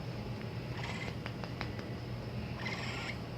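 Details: A capybara gives a low, steady purring hum broken by soft clicks and two breathy squeaks, telling its keeper it wants to go to sleep now, at night.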